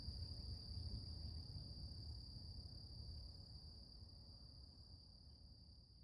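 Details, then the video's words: Delicate morning hum of cicadas in nature, one steady high-pitched drone continuing throughout while the overall sound gradually fades, with low rumbling noise underneath. "Relax With Cicadas Nature | Calming Insect Sounds ASMR"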